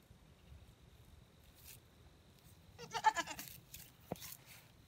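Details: Goats Boonie and MaDolly, a pair kept together, with one short wavering bleat rising out of a quiet background partway through, followed by a brief sharp knock and faint low rumble.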